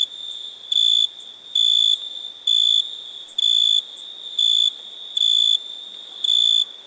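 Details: Cricket chirping: seven shrill, high, steady-pitched bursts, each under half a second, spaced about a second apart at an uneven rhythm, with a faint continuous ringing tone at the same pitch between them.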